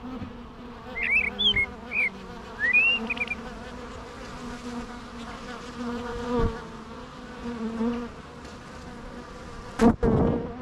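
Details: Low humming of bees with wavering drone tones, joined early on by a few short high chirping bird notes and a sharp loud click near the end.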